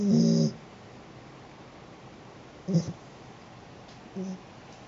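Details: Snoring from Sheeta the cat: one strong, throaty snore at the start, then two much softer, shorter snuffles in a quiet room.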